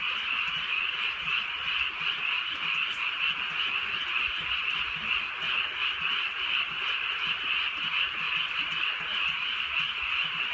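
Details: A rural night chorus of frogs under gentle rain: countless overlapping croaks merge into a continuous, shimmering high trill that holds an even loudness throughout, with soft rain noise below.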